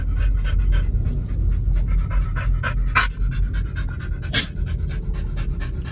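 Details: Rapid, loud panting from one of the dogs Oliang and Nomyen, fed raw chicken and pork at a dog hotel. Short breathy pulses run about four per second, broken by two sharp clicks or knocks.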